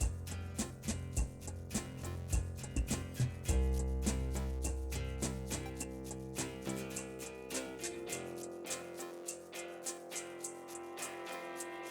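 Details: Plucked acoustic guitar music with soft percussive ticks plays throughout, with no animal sound heard.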